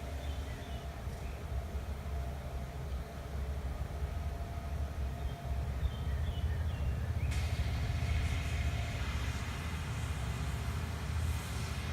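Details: Steady low rumbling engine-like noise dominates throughout, with a brighter broadband rush entering partway, no clear animal sound.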